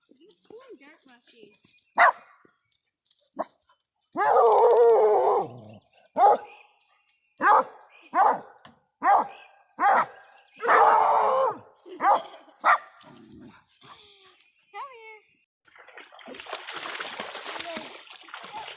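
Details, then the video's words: Hound puppies bark at a backhoe in quick, sharp yaps, with some longer howling cries, amid human speech; noisy rushing sound near the end. "The hound puppies and Shug barking and howling at the backhoe"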